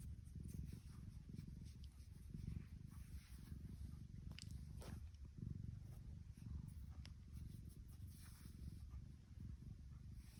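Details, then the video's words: Contented female tuxedo cat with a continuous deep purr, low pulsing rumble held throughout, slightly rising and falling in strength, with scattered soft ticks and rustling. "Can you hear her purring?"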